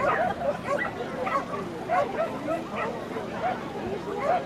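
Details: Norfolk Terrier recorded on June 22, 2013, giving short, sharp, high barks repeated roughly every half second over a steady murmur of background voices.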